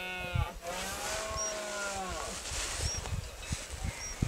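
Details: Red deer in rut on a private estate, recorded on a Samsung S4 phone: a long, deep, harmonic roar that rises then falls over about two seconds, followed by low thumps and faint high whistles in the background.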